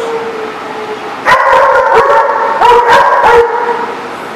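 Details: Dogs recorded on 10/5/18: after a faint sustained tone, a burst of loud, harmonic barks and yips overlapping in quick succession, several voices at once.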